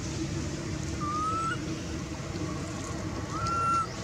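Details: Two drawn-out whistled cries, each rising slightly, come from Anissa, a baby monkey hungry for milk and calling her mom, set against a low steady rumble.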